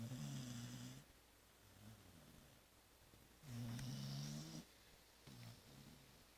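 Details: Zoé the dog, deeply asleep after Christmas Eve and Christmas brunch, snores in low, droning breaths: a long snore at the start, a fainter one, another long snore midway, then a shorter one, all indoors.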